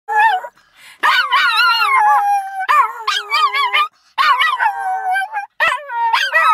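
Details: A small dog howls like a wolf in several high, wavering, drawn-out bursts that slide up and down, while its brother adds shrill sounds in the background.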